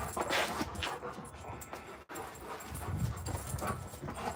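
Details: Two huge Alaskan Malamute puppies, Moose and Raven, play outdoors, wound up: low, rough growly bursts mixed with panting and whimpering scuffles, a brief break midway, then more grumbling rumbles.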